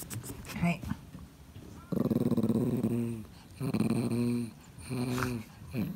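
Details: Thirteen-year-old male cream Pomeranian growling softly indoors as he struggles on his own to reach a toy; several low, throaty growls of about one second each, with brief quiet gaps and faint clicks between.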